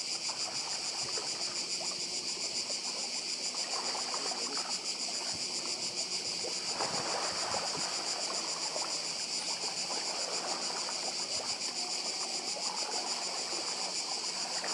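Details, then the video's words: High, rhythmically throbbing cicada chorus on Badija island in Croatia, continuous throughout, with waves rolling and splashing in the background, one louder surge midway. "Cykady i szum morza w Chorwacji"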